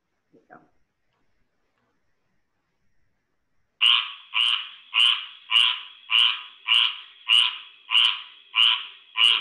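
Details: Squirrel tree frog from Georgia, named because its call resembles a squirrel's squawk: after a faint tap and a silence, a series of harsh, nasal squawks repeated steadily about every 0.6 seconds.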